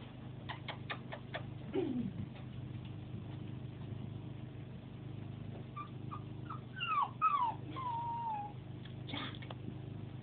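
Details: A 9-week-old Pembroke Welsh Corgi puppy, only a few hours after arriving at a new home and alone, gives thin, high whimpers: short sliding whines that fall in pitch, grouped near the end, with faint taps and clicks between.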